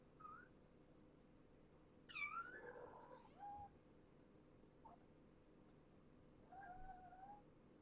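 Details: Kittens of Janine, a brown tabby rescued as a stray near Tulalip, Washington, indoors in the morning; a few short, rising and falling meows, one higher wavering cry around the middle, and a later drawn-out mew, in a quiet room.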